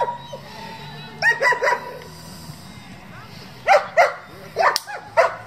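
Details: German Shepherd, a breed raised for breeding and competition, barking in short bursts: three quick barks, a pause of about two seconds, then a looser cluster of four or five sharp barks over a quiet background.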